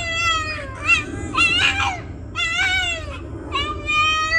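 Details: Boston, a very vocal Boston terrier, sings in a montage: wavering harmonic howls near 700 to 1,500 cycles, sliding and warbling in several drawn-out phrases over a low background rumble.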